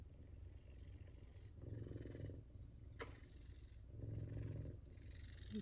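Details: Low, rumbling purr from an F2 Savannah cat being petted and loved, rising and falling in steady breathing cycles about every two seconds, with one short click partway through.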